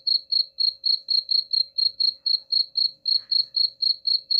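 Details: High-pitched cricket pulses, meant to repel rats, repeat steadily about four times a second without a break, with a faint low hum underneath.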